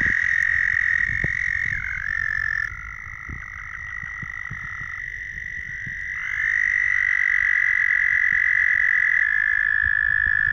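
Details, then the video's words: A dense chorus of hundreds of male frogs calling to attract females on Bald Eagle Lake, Minnesota: steady, high, overlapping trills blend into one ringing drone that dips briefly in pitch, then swells louder. "Frog courting rituals"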